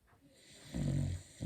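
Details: Sleeping Beagle snoring loudly; a single deep, rumbling snore swells and fades within about half a second, with a soft breath after it.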